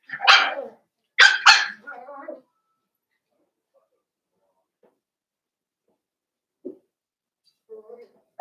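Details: Blenheim Cavalier King Charles Spaniel puppies, five in a litter born at New Year, in an indoor puppy pen; three sharp, bright yaps come in quick succession in the first two seconds, then faint murmurs and scattered soft sounds.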